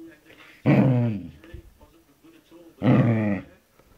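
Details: Wolfy, a pet Samoyed/Border Collie cross, indoors in a small room: two loud, deep rumbling growls of about half a second to a second each, separated by a quieter stretch with soft voices.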